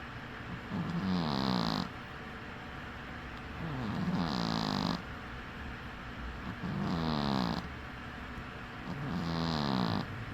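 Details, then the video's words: Dozing with one eye open, Winky the dwarf cat snores steadily: four low, grating inhaled rasps roughly every three seconds, each with a breathy hiss, calm silence in between. "Snoring cat"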